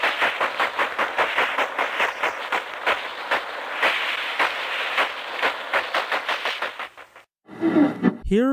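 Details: A sperm whale, recorded through the microphone of a 1964 American submarine, produces a long series of sharp, broadband clicks, irregularly spaced like knocking or crackling.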